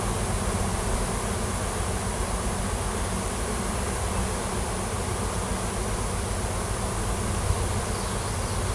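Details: Wild honey bee swarm clustered in a tree on a farm in Washington, a new queen leading worker bees out to seek a new home; a dense, steady low buzzing hum fills the whole stretch without pause.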